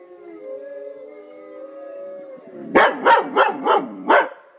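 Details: Domestic dog answering wolf howls with a drawn-out, wavering tonal howl, followed by a rapid series of five loud, rising-and-falling yelps about a third of a second apart.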